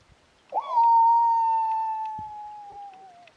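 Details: Night howl of a wild dog near a camp on a ridge, 2am in July at minus three degrees. A single clear howl that swoops up, then holds a long, level tone that sinks slowly before fading.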